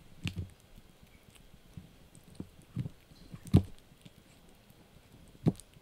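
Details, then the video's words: Yorkie puppy Blue gnawing a dried bunny ear inside; scattered crunchy bites and sharp clicking snaps at uneven intervals, one loud crack midway, over a quiet room background. "Yorkie Puppy Eating Dried Bunny Ear 🐾 | Funny Faces & Crunchy Sounds!"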